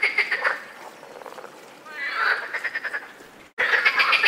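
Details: Mating-season chorus of European frogs, rasping pulsed croaks repeated quickly, fading to a softer stretch, then a clear run of about seven evenly spaced rattling notes before the loud chorus returns after a short cut.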